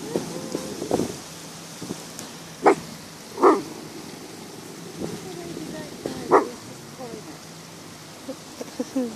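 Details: Dog barks, reportedly at a UFO, giving a few loud, sharp barks spaced a second or more apart, with faint voices behind.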